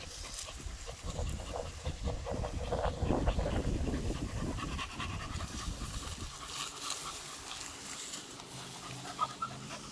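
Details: Male beagle panting hard during a morning walk, fast rhythmic breathy puffs at roughly three to four per second, strongest in the middle, with faint outdoor rustling behind.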